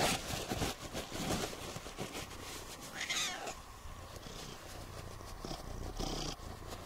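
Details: Siamese cats Otani and Yozora at home on New Year's Eve, one purring while being dried after a rainy off-leash forest walk; a soft, continuous low rumble under rustling and handling noise, with a brief brighter sweep midway.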